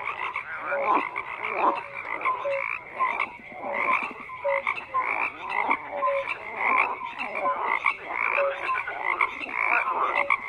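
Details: Frogs croaking en masse, a continuous rhythmic chorus of raspy pulsed calls with short nasal notes recurring about every second, loudness surging and ebbing.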